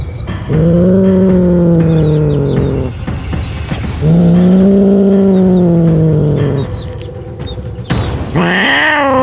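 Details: Frightened street cat making loud noise: two long low steady moaning growls, each about two seconds, then a sharp rising high yowl at the end, with constant background hum.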